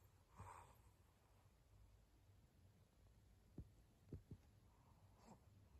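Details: Maria, a 12-year-old senior fawn female pug in Japan, recorded in November around 23:00, gives a few short, sharp nasal snorts near the middle of the clip, one pair close together, over a quiet, steady indoor hum.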